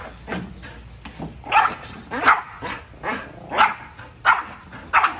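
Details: Dog barking in a steady series of sharp, bright barks, roughly one to two per second, with some softer lower barks early on and a faint constant hum behind.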